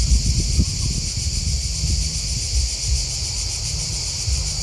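Crickets chirp in a steady, high, pulsing chorus over a low rumble of wind.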